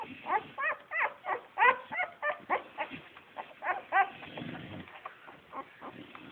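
Bull Terrier puppies whine and yelp in quick, uneven bursts, several voices overlapping.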